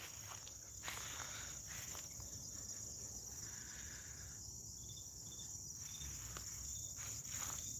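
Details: Crickets outdoors on a spring morning in West Tennessee, a steady high continuous trill running throughout, with short higher chirps from other callers and light rustling or footsteps.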